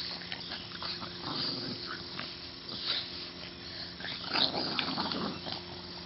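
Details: Two Boston Terriers, Stella and Penny, playing tug of war in June 2013; low rumbling play growls come in bursts, rising to a louder snarl near the end, with scuffling and tugging noises throughout.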